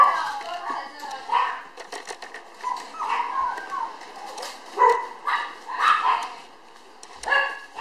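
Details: Tiny red female Toy Poodle, born May 24 and 700 g when filmed June 30, produces repeated nasal whines and short yelps rising and falling in waves, with soft rustling between.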